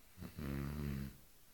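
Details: Female Cane Corso, eight months old, giving a single low, droning snore under a second long, steady and rasping, preceded by a brief soft intake of breath in a quiet room.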